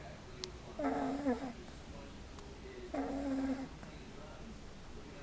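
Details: Kathleen, an English Bulldog puppy aged 7 weeks, snores in her sleep: two rough, buzzy snorts with a whistling edge, each lasting over half a second and about two seconds apart, over quiet room hiss.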